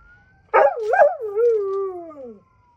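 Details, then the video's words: Birda, a dog, howling at night: one long wavering howl that starts high and wobbling, then slides slowly downward over about two seconds, with a faint steady siren-like tone in the background. "Birda the Dog Doing Some Night Howling."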